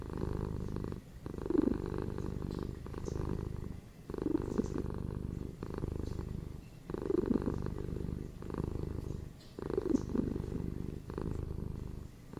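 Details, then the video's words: Purring domestic cats, a ginger male and a female kept as indoor pets, in a steady low rumble broken into breath cycles roughly every two and a half seconds, with brief quiet gaps between inhale and exhale. "5 MINS PURRING CATS"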